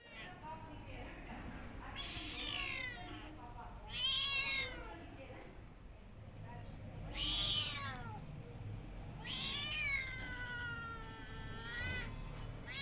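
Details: Domestic cat meowing repeatedly, several drawn-out rising and falling meows spaced a couple of seconds apart, with a person's voice in the background.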